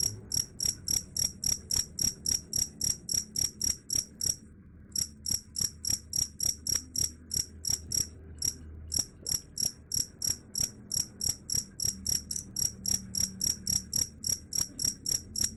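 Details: Cricket chirping, said to drive away rats: bright high chirps repeated about three times a second in a steady train, with brief pauses near four and nine seconds, over a faint low hum.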